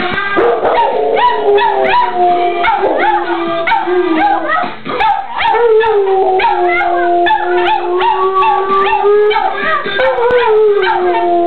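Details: Two pet dogs howl together in a duet, set off by a song playing in the background; long, wavering drawn-out tones overlap and slide up and down steadily throughout, with the music running underneath.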